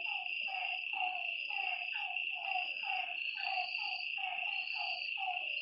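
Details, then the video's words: Night chorus of frogs beside a lake: hoarse, falling croaks repeated in fast succession, overlapping a continuous high-pitched insect buzz. "Lakeside night creatures and frog sounds"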